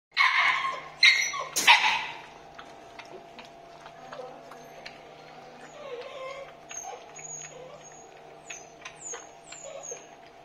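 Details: Labrador Retriever pups at feeding time open with several loud, sharp yelps, then a long stretch of quieter, steady whining tones with soft broken squeaks, and thin high chirps near the end.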